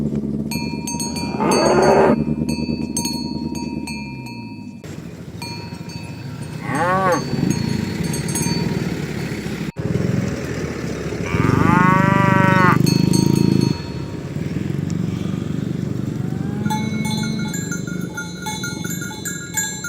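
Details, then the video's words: Dozens of tame cows herded in the morning along village roads and a green grass field towards the pen; several drawn-out, harmonic moos rise and fall, the loudest lasting about two seconds, over steady cowbell clinking and low rumble. "Suara Sapi Moo"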